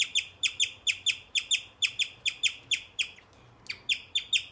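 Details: Pet male guinea pig chirping in a fast, even series of shrill, bird-like notes, about two or three each second, broken by a short gap before the chirps resume at the same pace.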